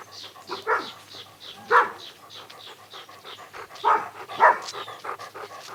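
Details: Puppies running, chasing and playing together on a lush green grass meadow; four short, harmonic barks or yips come in two pairs, near the start and middle, over soft panting and breathy background.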